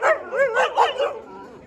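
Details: Dobermann at a large kennel: a run of high, arching whines that rise and fall, about five in quick succession, then fading softly.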